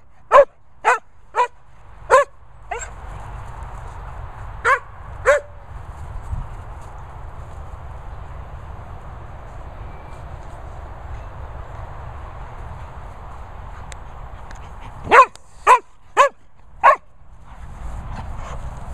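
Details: Sprocker Spaniel named Barney barking in bursts: five quick sharp barks, a pause, two more, then a long quiet stretch before another rapid run of five barks, with faint background hiss.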